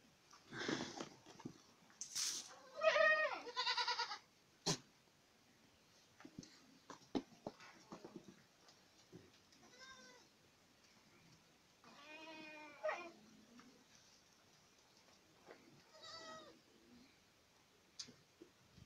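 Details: A burst of loud, quavering bleats from Boer goats in Acatlán de Osorio, Puebla, Mexico fills the first four seconds. Softer single bleats follow later, among sharp clicks and knocks.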